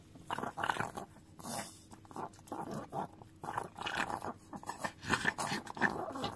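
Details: Dio, a Chihuahua, lapping at a frying pan indoors; steady wet licking strokes roughly every half second, smacking mouth noises and occasional scraping of the pan.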